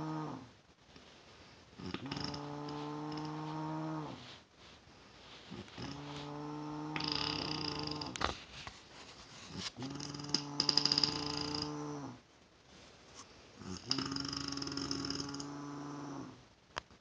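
A sleeping bear snores in deep, droning rumbles that come roughly every four seconds.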